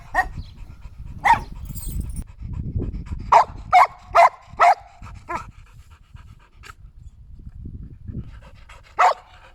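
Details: Shetland Sheepdog giving short, sharp barks: a single bark, then a quick run of four, a softer one, and a final bark near the end, with low rustling and breathing noise between.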